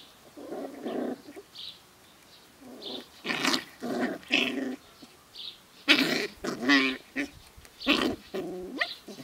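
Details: Sealyham Terrier puppies, seven weeks old, playing together on a hot summer day: bursts of rough, playful growling mixed with short yaps and squealing whines, coming in irregular clusters.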